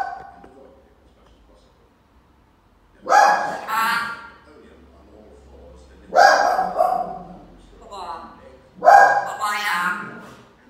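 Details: A Jack Russell Terrier gives three sharp, harsh barks about three seconds apart, each ending in a ragged yelp, while an African grey parrot tries to stop it barking. A voice-like sound is mixed in.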